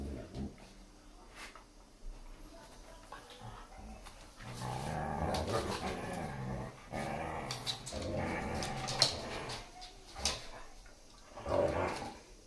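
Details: German Shepherd and Siberian Husky puppy playing with a new chew toy; after a quiet start, low grumbling growls swell in bursts from about four seconds, with scuffles and chewing noises.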